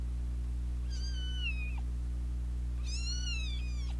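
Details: Two fighting kittens, with a big sister cat who keeps joining in; two drawn-out, high, whining meows about two seconds apart, each rich in overtones and gently falling in pitch, over a constant low droning hum.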